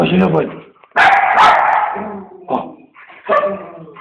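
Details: Female Siberian Husky, eight years old, at play with her owner, captured on a Samsung GT-S5230 phone; a drawn-out tonal vocal opens, then a loud bark-howl and two shorter harmonic yips, with a human voice nearby.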